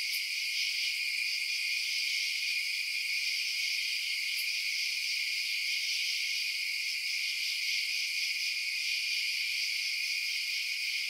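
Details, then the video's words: Crickets chirp through the night in a thick, even chorus of high, rapid trills stacked in bands, with a couple of faint ticks early on and an otherwise silent low range. "Night Sounds Crickets Chirping"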